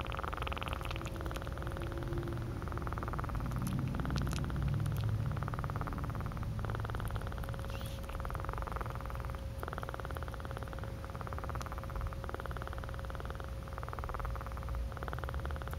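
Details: A cat purring up close, low pulsed rumbling in alternating breathing phases, with a faint steady hum underneath.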